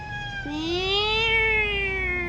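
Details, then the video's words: Pet cat in a fight letting out a drawn-out caterwaul that jumps in, climbs slowly to a peak, then sags gradually over nearly two seconds, rich in harmonics, over faint background hum. "Our cat fight"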